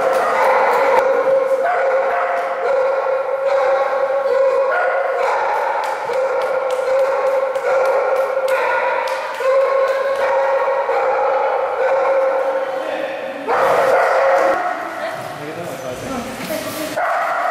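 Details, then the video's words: Liro, a Norfolk Terrier, swims in the Woof pool on a first visit, eager to get out because the pool is disliked; repeated drawn-out whines in short bursts separated by brief gaps, splashes and water noise throughout "Norfolk Terrier・ワフ（Woof）のプールで泳いだよ・ノーフォークテリア"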